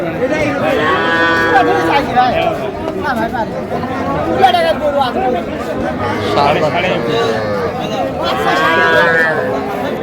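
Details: Small Sahiwal bull calves at Raniganj market, 6 March 2025, where a Sylhet farmer buys them. Three rich, harmonic moos of about a second each, spaced several seconds apart, with people talking and haggling all around.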